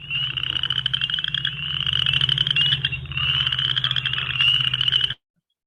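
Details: Chorus frogs calling, their sound compared to fingers run down a hard plastic comb, with spring peepers present too; continuous layered ratcheting trills and a steady low hum, cutting off abruptly near the end.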